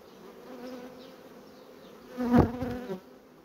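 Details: Honey bees at a colony quickly building comb: a soft hive hum, then one bee flies close and its tonal buzz swells briefly loud before fading away.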